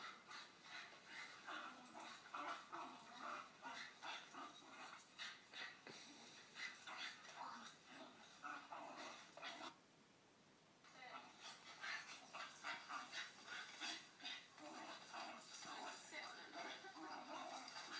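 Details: Female blue Staffordshire Bull Terrier, pet, listening to a playback of her own play with another dog: rough, growly, breathy bursts repeated about two to three times a second, with a short quiet break midway.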